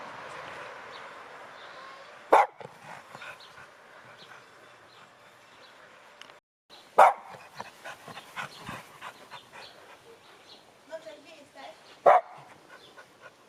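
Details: A female Cavalier King Charles Spaniel gives single sharp barks a few seconds apart amid quiet room sounds, while being told to "speak".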